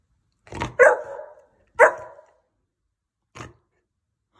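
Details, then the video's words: A talking Saint Bernard answers with moaning, voice-like woofs: a short grunt, then two sliding drawn-out calls about a second apart and a brief huff, in a quiet room, its owner offering a cuddle. "the taking Saint Bernard"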